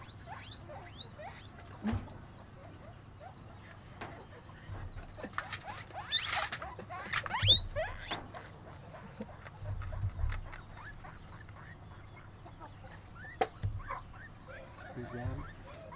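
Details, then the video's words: Pet guinea pig eating: rapid crunchy chewing clicks and rustling, with scattered sharp squeaky sweeps and brief louder bursts. "Guinea pig eating"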